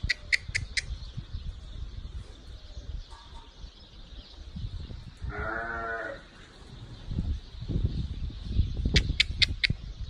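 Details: Sheep among a group of ewes and their newborn lambs: one wavering, tremulous bleat lasting about a second mid-recording, framed by sharp clicking or tapping sounds at the start and end over a low rumbling background.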